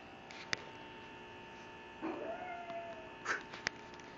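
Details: Female pug vocalizing at her sister, one drawn-out whine that starts low and rises then levels off over about a second, with a few sharp clicks before and after over a faint steady hum.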